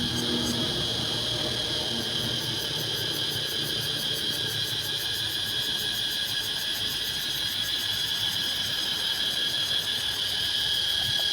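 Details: Cicadas in Laos fill the air with a steady, shrill, high-pitched drone that never pauses.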